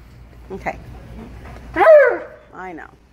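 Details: Impatient Alaskan Malamute crying and complaining while out shopping: one loud, wavering whine that rises then drops, followed by a shorter yelp, with faint talking before it.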